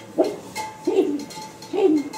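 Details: Playful puppies giving three short, whiny yelps, each rising then sliding down, spaced about three-quarters of a second apart, with a faint steady hum behind.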